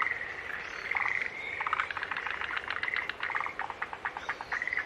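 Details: Dense chorus of green tree frogs, rapid pulsed rattling notes layered over sustained buzzy calls, the pulses quickening toward the end against a soft hiss.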